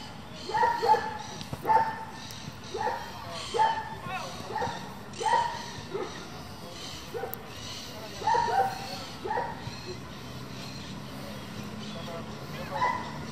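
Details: German Shepherd, a breed raised for competition, giving repeated barks, often in quick doubles, about one each second through most of the stretch, fading toward the end over steady low noise.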